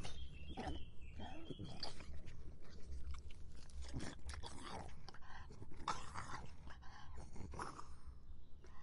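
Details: Dog drinking water: quick, irregular wet lapping and slurping, a steady run of soft splashy clicks across the whole stretch with no voice or other sounds.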